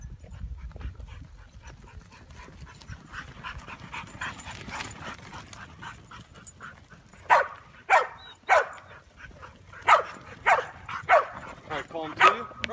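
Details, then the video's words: Ronin, a Chow Chow mix, tries sheep herding; quiet rumble at first, then a run of loud sharp barks roughly every half second to second in the second half. "Sheep Herding Chow Mix"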